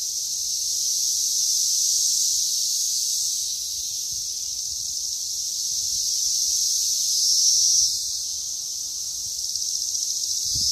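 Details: Brood XIII 17-year periodical cicadas, mostly Magicicada cassini with a few M. septendecim, mate and lay eggs on a green ash at Danada Forest Preserve, Wheaton, Illinois, May 31, 2024, with a steady, high, hissing massed chorus.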